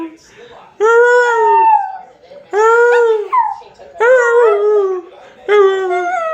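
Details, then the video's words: Dog and owner howling in unison indoors: four mournful, wavering howls roughly every one and a half seconds, each holding a steady pitch before drooping, with two voices overlapping. "Me and my doggy Monty howling together"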